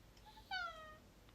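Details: Domestic cat answering its owner, who is offering a lobster or fish treat; a single clear meow of about half a second that starts loud and slides gently downward in pitch, preceded by a faint, soft mew.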